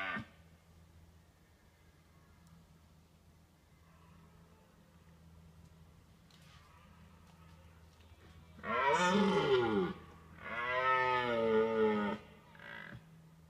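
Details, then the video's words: Red deer stag, watched from a car during the autumn rut, bellowing to warn away rival stags; after a quiet stretch of low hum, two loud harmonic roaring bellows, then a short fainter call near the end. "Red Deer Stag warns away rivals"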